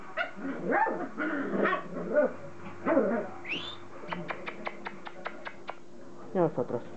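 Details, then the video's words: Playing Border Collie puppies, offspring of Kim and Indi, give wavering, arching yelps and growly whines, then a brief rising squeak, a run of sharp clicks and a final raspy yip over a steady background hum. "Cachorros de Kim & Indi jugando"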